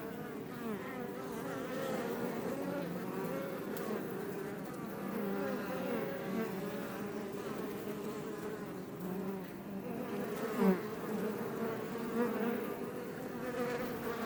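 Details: Iberian honey bees at a Langstroth beebox in south Tarragona, Catalonia, near Els Ports National Park; sustained low buzzing chorus with overlapping wavering tones, a couple of sharper close fly-bys later on.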